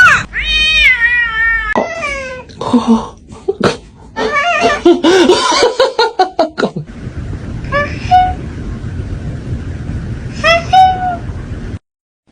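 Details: Cat giving a long wavering meow, followed by a rapid jumble of short chirps and clicks, then two brief high meows after a quieter stretch.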